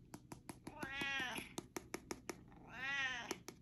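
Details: Grey, a Siamese cat, gives two long, wavering, harmonic-rich meows in the morning, eagerly asking for his breakfast.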